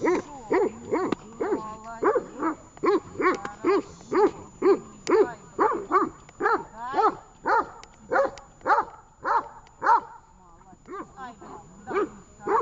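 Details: Tash, a dog in training at Horlivka on 18.08.19, barks in a steady run of short, sharp barks about two per second, keeping a fairly even rhythm across the whole stretch, with a faint high steady tone behind.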